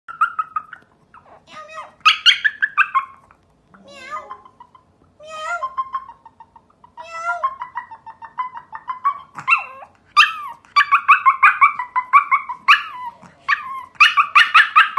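A Pomeranian puppy howls in high, wavering whines that rise and fall in quick broken phrases.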